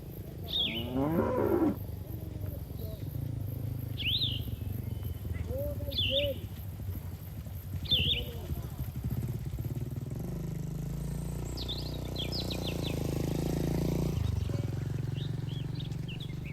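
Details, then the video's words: Cattle in a herd grazing in a green field. A brief harmonic moo comes early, followed by fainter lowing. Repeated high bird chirps run throughout over steady rural background noise. "Suara Sapi Moo"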